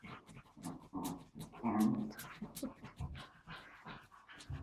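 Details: Wire fox terrier playing with an invisible ball: rough, breathy panting and snuffling in irregular bursts, with a few low throaty rumbles and a faint human voice in the background.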